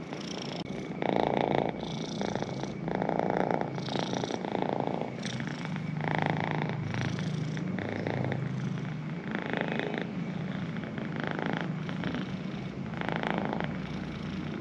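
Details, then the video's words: Pet cat purring continuously with a deeper rumble, pulsed phases of breathing in and out recurring about every one and a half seconds, loud and close. "The healing power of cat purrs"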